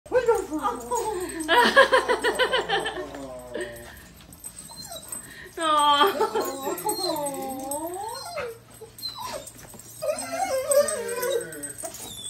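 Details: German Shepherd at a reunion with a soldier, whining excitedly in long, high, wavering cries that swoop up and down in bursts with short gaps; a person's voice and a low indoor hum sit underneath.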